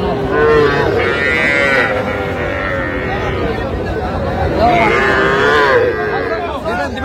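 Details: Sahiwal calves, young bulls and heifers, at a cattle market in Tangail, Bangladesh, 7 July 2025; two clear wavering high calf moos, one early and one near the end, with murmuring voices throughout.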